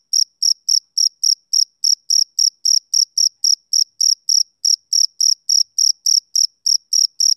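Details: Summer-evening chirping of a male cricket: rapid, shrill, evenly repeated chirps, roughly four each second, each one short and sharp. The background is otherwise silent.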